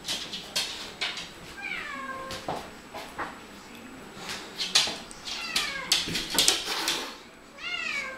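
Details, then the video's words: Two Siamese cats talking to each other trade loud, drawn-out, wailing meows that swoop up then down. Calls come in quick succession, several overlapping in the second half, with sharp clicks between. "two siamese cats talking to each other"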